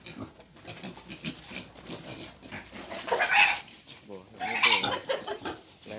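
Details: Wild boars being taken for mating: two harsh, noisy squeal bursts, the second longer and louder, rise over a low murmur of people talking and handling noise.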